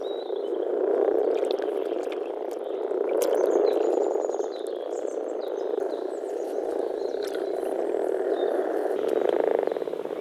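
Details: Croaking frogs in a Czech pond or wetland in spring, a rough massed chorus pulsing in waves of loudness every few seconds, with sharp bird chirps and clicks above.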